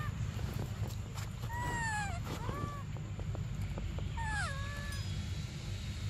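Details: Baby monkey Briar pleading for milk with wavering whistled cries, some falling and some dipping then rising, in two bursts, alongside soft clicks and a low background rumble.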